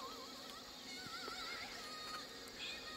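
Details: Soft music with wavering synthetic singing tones and a quiet hiss plays throughout, and no animal can be heard.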